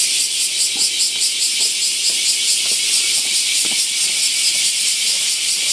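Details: Summer chorus of bear cicadas by a huge camphor tree in Daitokuji Park, Nagasaki city, Japan: a loud, high, buzzing hiss pulsing in rapid, fairly even beats, a few faint clicks beneath.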